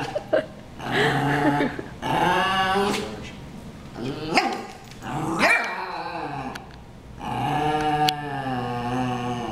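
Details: Two dogs brawling: rough harmonic growls and snarling barks in loud overlapping bursts of one to two seconds, some yipping peaks, continuing almost without pause across the whole stretch.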